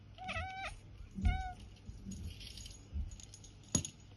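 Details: Percy the cat chirping mid-hunt for godzilla: two clear, tonal, slightly wavering chirps close together early on, then a sharp click or tap near the end, against a low background hum.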